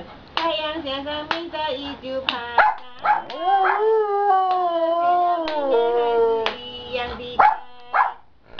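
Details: Afternoon singing from a giant panda in a good mood: rapid clicks, then a long, swelling, rising tone that holds steady and gently wavers before fading back into clicks and short bleats.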